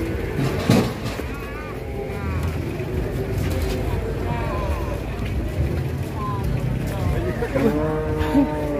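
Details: Very large cattle coming down from a truck at a market: a drawn-out harmonic moo swells near the end, with a shorter lowing earlier, under constant crowd chatter and engine rumble.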